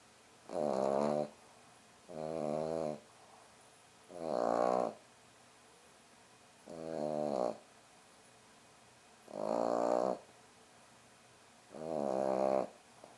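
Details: A French Bulldog rescue puppy napping snores in steady, rasping bursts, one roughly every two seconds; French Bulldog.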